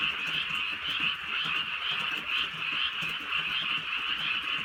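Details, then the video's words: Countryside night frog chorus under gentle rain: many frogs croaking together in a continuous high-pitched, pulsing drone that swells slightly and never pauses, with faint rainfall in the background. "개구리 소리"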